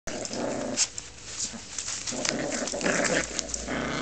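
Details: Puppies growling while playing tug with each other: a steady rough, noisy growl runs throughout with brief sharper snarls, and small knocks and scuffling are also heard.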